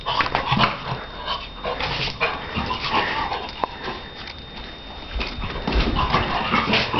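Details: A Shar Pei named Donna at play, giving rapid, rasping growls, grunts and gruff barks in quick irregular bursts, with a single sharp click midway and no pause in the noisy scuffling.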